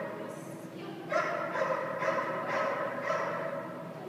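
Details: Dog boarding at a kennel during down-command training, barking in a quick run of about five sharp harmonic barks, roughly two per second, over a steady room hum with faint voices.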